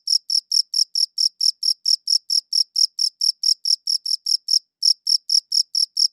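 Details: Crickets chirping, captured on a good audio recorder: clean, high-pitched pulses repeated about four times a second in a steady run, with one brief pause near the end; no other sounds.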